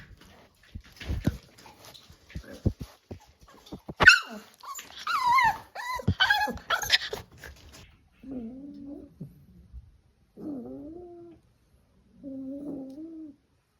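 Staffordshire Bull Terrier puppies yip, whine and give short growly barks while playing, with scuffling in between.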